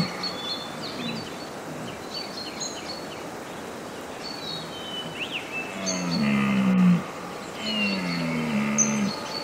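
A deer gives deep, moaning calls that slide downward, with small birds chirping in the background.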